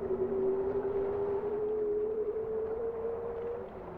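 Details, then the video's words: A single long, pure tone from a bowhead whale, slowly rising in pitch for over three seconds before fading, with a faint lower hum beneath and soft underwater hiss throughout. "Bowhead whale songs"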